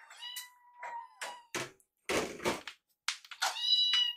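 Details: Kitten meows from rescued baby cats during feeding, Yuki sneaking Piyo's leftover food; thin held mews alternate with loud broadband chewing and clattering bursts, busy and crowded indoors.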